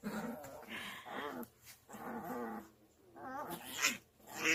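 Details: Sister puppies in a rough play fight indoors, snarling growls in three loud bursts separated by brief pauses, ending in a sharper yelp.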